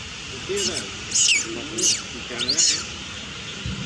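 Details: Little monkey crying loudly as other monkeys steal her food: four shrill, screechy bursts within four seconds, each with wavering lower tones beneath, over steady background hiss.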